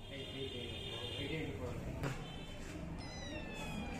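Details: Hungry cat waiting for milk, with kittens eating before the mother cat: high, thin meows with stacked overtones, a drawn-out cry at the start, then shorter falling ones near the end, over a steady room hum.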